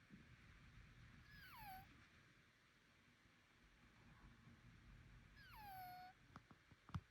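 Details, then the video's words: Bengal cat making strange noises, perhaps from nasal breathing, congestion or allergy, giving two drawn-out descending whining calls about four seconds apart, ending with sharp knocks. "猫が変な鳴き声するから病院にdisease? I went to the hospital because my cat was making strange noises."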